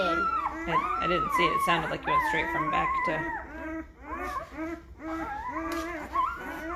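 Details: Five-day-old Great Bernese puppies, a Great Pyrenees and Bernese Mountain Dog cross from the mother Lacey and the sire Castle, getting noisy. Several overlapping high whines and squeals, drawn out and wavering, come almost without a break.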